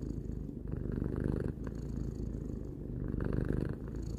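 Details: Calm three-year-old cat purring close up: steady low rumble of rapid pulses, changing tone between inhaling and exhaling, roughly two breath cycles in quiet surroundings.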